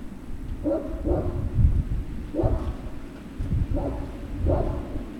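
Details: Great Dane puppy barks from Puppy Hill, 03-06-2019, around 16:24: paired yapping barks about every second and a half, half buried under heavy low rumbling noise.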